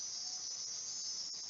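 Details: Cricket chorus from rainforest documentary recordings reconstructed as a hyperrealist sound piece: an unbroken high, sizzling trill, steady and even, over a soft background hiss.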